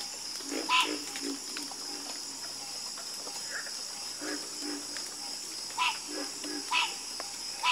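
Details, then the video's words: A frog chorus in which loud, ringing croaks stand out roughly once a second over softer, lower croaking. A continuous shrill hum holds steady behind them. "Calming Sound Of Harmonious Frog Croaking"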